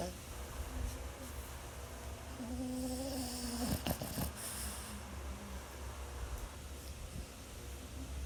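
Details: A Boston Terrier snores while resting, with low, rumbling breaths and a brief nasal, tonal drone.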